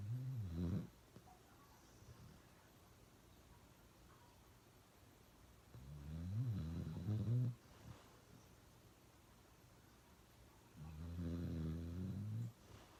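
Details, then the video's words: A pet dog snoring very loudly, heard as three long, deep, rumbling snores about five seconds apart, each lasting one to two seconds, with quiet breathing between them. "Snoring really loud"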